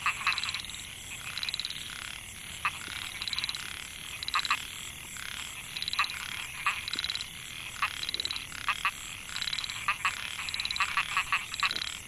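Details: Narrow-mouthed frogs (Microhyla pulchra) in Mae Hia rice field, Chiang Mai, Thailand, 2014, where calling males attract females. Rapid buzzy pulse trains repeat every second or so, with sharp short chirps scattered between and a steady high hiss behind.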